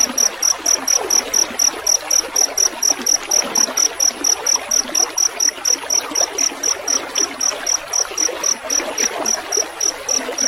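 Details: A field cricket chirps in a fast, very regular high pulsing trill, about four pulses per second, over a constant broadband rush of trickling water.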